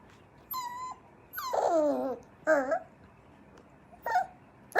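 A Cocker Spaniel puppy whines in high, wavering cries that slide up and down between short pauses.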